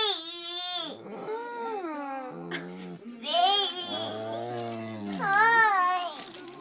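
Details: A golden retriever named Oliver moos and grunts in response to baby talk, producing a series of sliding, wailing tones that rise and fall, some dropping low into a groan, then a higher whining swell near the end.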